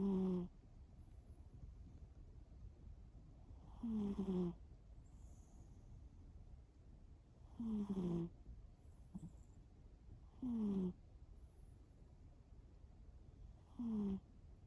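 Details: Sleeping cat named Shimao snoring indoors: short buzzy tonal snores about every three to four seconds, each a slightly falling drone with bright overtones, over a low steady background hum.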